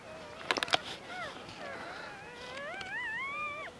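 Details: Seven newborn Border Collie puppies, two days old, born 14 February 2019 to the dam Glycine on a French farm; thin high whining squeals rising and falling, several overlapping toward the end, after a few sharp clicks near the start.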